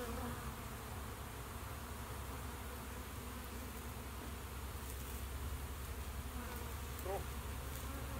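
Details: Honey bees in a bee shed, a steady low droning hum of many wings filling the whole stretch without pause, with faint higher rustles over the top.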